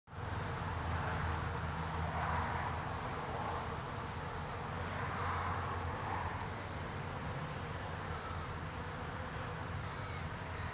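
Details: Honey bees foraging, coming and going from the hive on a farm on a May afternoon; a steady low droning hum with no pauses, swelling slightly now and then, over faint background hiss.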